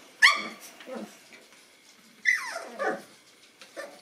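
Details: Boston Terrier puppies, nine weeks old, encountering a toy; two high yipping barks with falling, whiny tails, separated by quieter rustling and soft grumbling sounds.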